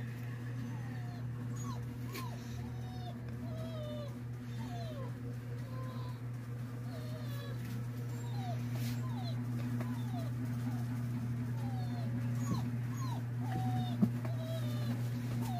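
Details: Indoor Siberian Huskies reacting to a dog sound played through a cellphone: many short, squeaky whines and whimpers that rise and fall, several each second, over a steady low electrical hum.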